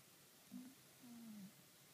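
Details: Sleeping cat Kuro breathing audibly on 28 April 2013: two short, low humming snore tones, the second longer and slightly falling, over soft room hiss.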